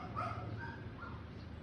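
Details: Pet Schnauzer whining and yipping to wake up its sleeping owner: a few short high whimpering notes, some rising, with a woman speaking Tagalog nearby and a low indoor hum.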